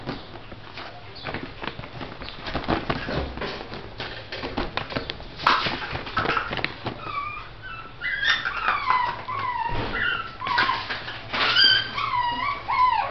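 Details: Miniature Shih Tzu dogs from a kennel; thumping and rustling noises give way to a series of short, high, falling whines and squeaky whimpers from several puppies in the second half.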